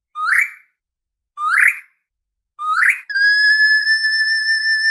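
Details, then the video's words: Orca calls: three short, harsh upswept calls about a second apart, followed by a sustained level tone with bright overtones that holds to the end. "SOM DE ORCA"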